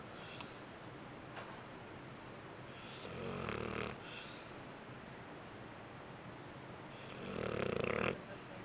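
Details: Napping after a rough day, the dog Bentley lets out two raspy, rattling snores roughly four seconds apart, separated by quiet indoor background hiss.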